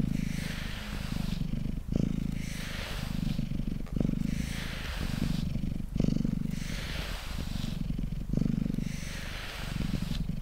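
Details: Mango the cat purrs on a tabletop during brushing: a low vibrating drone rising and falling in breath-length waves about every two seconds, with hissy brush sweeps between them.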